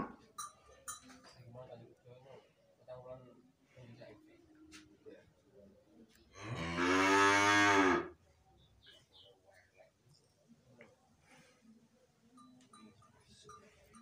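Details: Limousin breeding cow kept in a pen, having produced super calves, gives a single strong moo of under two seconds mid-recording, with faint talk and scattered knocks before and after.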